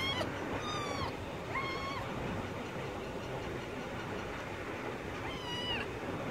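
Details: Kitten caught in a net meows three times, each a high, arched call under a second long, two close together and a third after a pause of several seconds, over constant background hiss.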